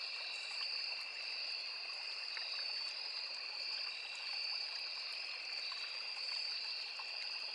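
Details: High, unbroken ringing of crickets along a small forest river, two steady shrill tones with faint irregular ticks, set against the soft rush of running water.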